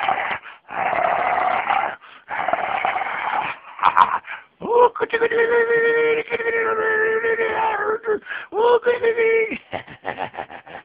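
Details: A female Schipperke, playing with her owner, gives long, tonal, wavering whines and moans that rise and fall like a soft howl, in two stretches, after and amid a person's chatter. Finding: Schipperke.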